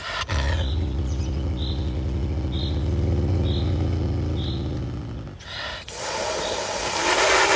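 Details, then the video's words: Pumba the caracal growls steadily over its food, a low pulsing rumble held for about five seconds, then a sharp break followed by a breathy, noisy hiss-like rasp. "Caracal Pumba Hissing and Eating"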